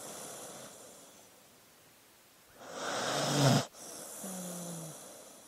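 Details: Dog asleep, giving one long swelling snore that peaks sharply and cuts off, followed by a softer, slightly tonal exhale; low steady hiss fills the background.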